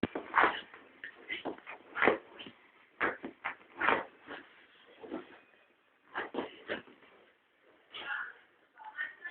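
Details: Dog trying to get a toy rat down from a shelf, whining and whimpering in short, high, strained bursts, several per second, with brief pauses between runs of cries.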